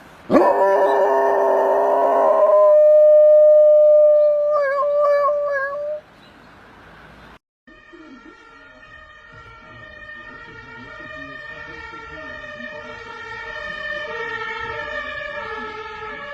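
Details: Dogs howling in imitation of an ambulance siren during the coronavirus period: a loud, steady tonal wail at first, then a short break and a longer, quieter, wavering howl with rising and falling pitch.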